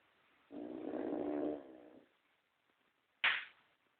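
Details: A pet pug snoring indoors: one rough, buzzy inhaled snore lasting about one and a half seconds, followed after a pause by a short sharp snort.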